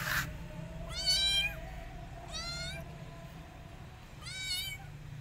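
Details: Rescued kittens hiding in a jacket, treating a person as their mother: three high, harmonic-rich meows, each about half a second, rising then falling, spaced over five seconds, with low rumbling background noise.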